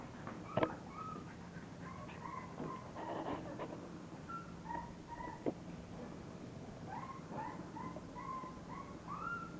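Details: English bulldog puppies in a litter giving repeated short, thin whimpers and squeaks, several pups calling at once in a quiet room with low hum and occasional thumps.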